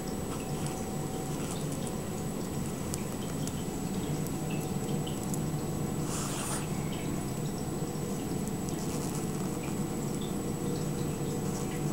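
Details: Indoor room hum with faint dripping and a brief watery splash, with no animal sound heard.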